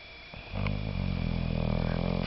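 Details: An English Bulldog named Sam snores in its sleep with a deep, rumbling, steady rasp that sets in after a brief quiet start.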